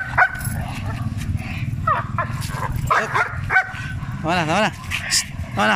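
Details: Dogs, a Cane Corso and an oversized Belgian Malinois, give short barks and a wavering whine amid Filipino speech. A person talks throughout, with a low rumble underneath.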